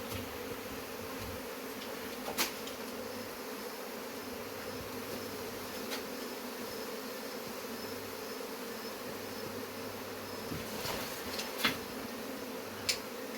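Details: Continuous honey bee buzzing during removal of a hive: a thick, even drone that never pauses, with a few brief clicks and taps over it.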